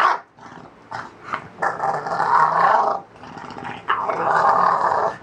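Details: English Bulldog during its morning routine: loud, throaty grumbling growls in long drawn-out bursts of about a second each, several in a row with brief pauses between.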